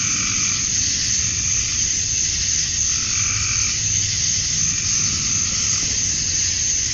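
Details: Male cicadas chirping to attract females at dusk on a summer night in Georgia, USA: a dense, steady, high-pitched buzzing chorus with faint rhythmic pulsing, plus a low background hum.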